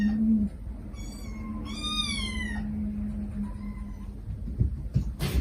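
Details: Feral cat family, a mother cat gently calling her five kittens as they beg back: two clear, drawn-out meows with a falling tail, over a constant low electrical hum, with a few clicks and knocks near the end.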